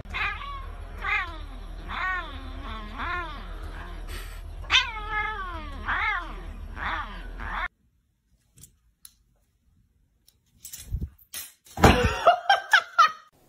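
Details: Cat calling a long run of drawn-out, wavering caterwauls and meows, roughly two per second for eight seconds, against a low hum, then silence and a burst of speech-like noise.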